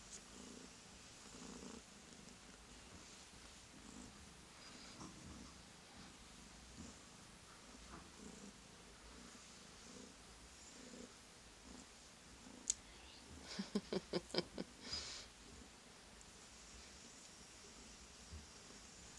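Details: Young male tuxedo kitten, rescued with two brothers, purring when touched: a steady, quiet, low throbbing purr in even pulses, interrupted midway by a burst of sharp clicks and handling sounds before the purring continues.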